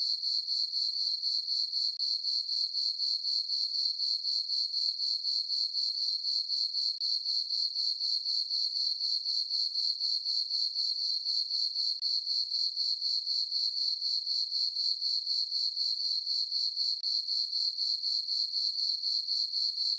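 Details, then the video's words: Summer-night crickets in a moonlit farm meadow keep up a continuous shrill pulsing chirp, roughly four beats per second, very regular throughout, with no other sounds. "Cricket chirping sounds for sleeping"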